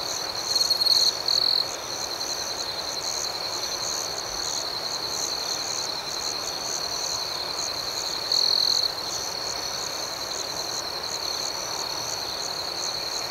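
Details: Crickets at night form a continuous high ringing chorus of fast-pulsed chirps, with a couple of closer, louder bursts near the start and again later.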